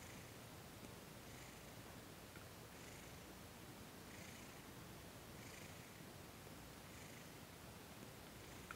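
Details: Thomas the cat purring during a massage and Reiki session on December 28, 2021; soft breathy purr cycles swell and fade roughly every second over a low steady rumble, recorded indoors and quiet.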